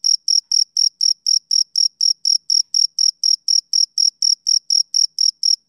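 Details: Male cricket producing regular high, buzzy chirp pulses at around four per second, a clean and unbroken rhythm.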